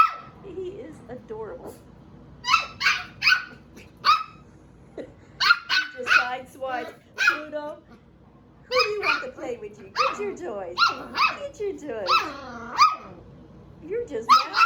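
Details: Attention-seeking barking from a seven-week-old puppy, one of Phoebe's pups: bursts of shrill, piercing yaps in clusters of two to four, broken by short pauses and brief whimpers. Low human talk can be heard underneath.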